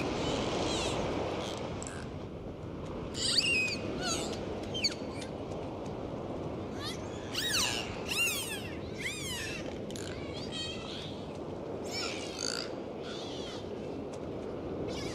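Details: Dolphins in the open sea trade clicks and short whistles, with a dense middle run of rising and falling sweeps and sharp broadband click bursts, over constant underwater rumble.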